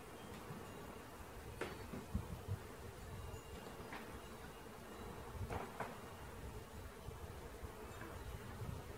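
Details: Swarming bees being collected give a constant low buzz, broken by several sharp clicks and taps from handling gear.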